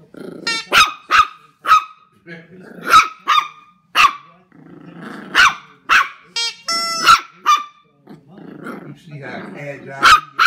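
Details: Puppy Knuckles, a Jack Russell terrier, confronts a giant gummy bear with bursts of high yaps in pairs and triplets, low growling between them, and one brief squeaky whine near the end.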